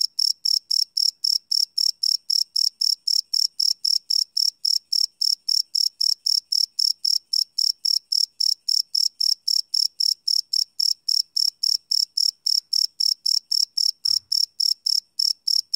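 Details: Crickets at night, live field recording on a Sony PCM D100: rapid, regular high chirps about four per second continue steadily, with a faint low thump near the end.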